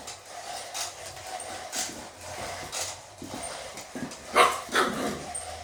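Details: Pet dog barking at a robot dog, a series of abrupt barks at uneven intervals with a strong double bark toward the end, some low rumbling between them.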